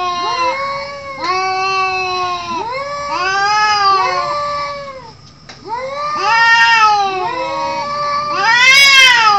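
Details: Cat; fight yowls; fighting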